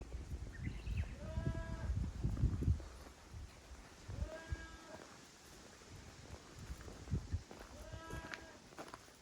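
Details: Goats at a handmade goat farm in Japan, playing on their new playground on 9 May 2024; three wavering, nasal bleats roughly four seconds apart, with low thumps and hoof scuffling underneath.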